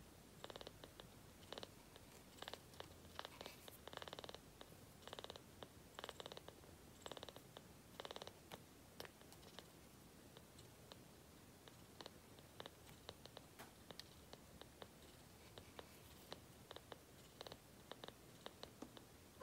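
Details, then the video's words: Kitten named Byeol purring while drinking formula milk; a soft, low rumble runs underneath, broken by quick rhythmic clicking bursts from suckling and swallowing, in a quiet indoor room. "분유 먹을 때 골골거리는 아기고양이"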